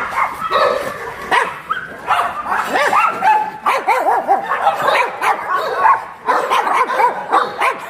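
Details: Chorus of abandoned shelter dogs in Yangsan, South Korea: rapid, tonal barks and high yips tumble over one another, some rising and falling in pitch, in a constant, excited clamour.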